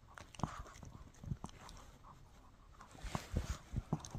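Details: Indoors, the Shih Tzu puppy Mikki works on a no-hide bully stick, producing scattered wet clicks and crunching bites, growing busier toward the end, with faint breathing between.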